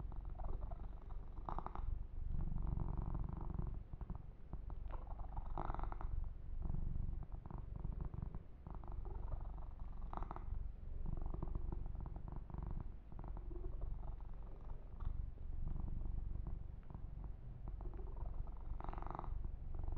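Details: Young male domestic kitten purring during a massage, a low, even pulsing rumble throughout, broken by brief brushing and rubbing noises from hands moving through fur.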